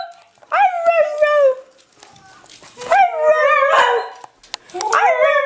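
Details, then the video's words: Pet dog Honey howls on cue as if saying "I love you": three separate drawn-out, wavering yowls, each about a second long and sliding slightly downward, with short quiet gaps and a brief noisy rustle between them. "Honey says I Love You"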